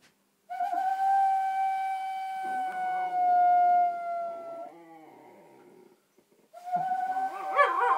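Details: Pet dog howling in reaction to an owl sound: a long, steady, tonal howl held for about four seconds, sliding down and fading, then a short pause and a second rising, wavering howl.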